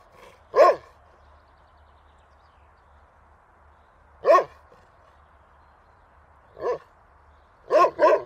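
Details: Single dog barks spaced several seconds apart, then a quick double bark at the end; each bark is short and punchy against near silence.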